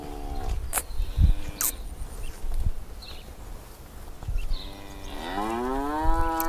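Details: Cow stuck in an irrigation ditch near grassland, angry and frightened: the tail of a moo at the start, then scattered knocks and clicks, and finally a long moo that swoops upward and settles into a sustained, strongly harmonic bellow.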